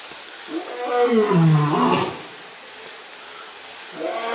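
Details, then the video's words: Gruñon, a lion at the FURESA zoo, gives a single deep, moaning roar that swells and then fades after about two seconds, followed by quieter background sound. "Leon Gruñon Rugiendo"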